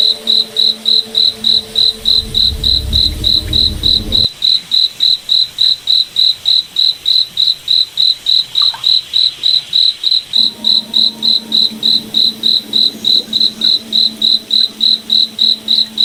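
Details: Long run of regular high-pitched cricket chirps, about three per second, in a moonlit night forest; low rumbling hum at the start drops away, then a faint tonal hum returns later.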